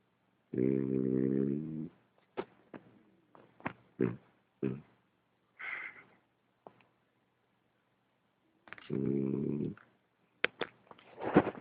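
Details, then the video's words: Ulises, a French Bulldog, lets out two buzzy, rasping snores about seven seconds apart. Sharp clicks and small knocking noises fill the gap and continue after the second snore. "Bulldog frances ulises roncando"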